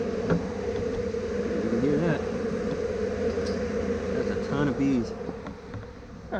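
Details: Large number of honeybees from a fairly new colony, confined after removal from a hay baler behind a taped-up screen bottom board, buzzing loudly: a dense steady drone with machinery-like rumble and brief handling noises.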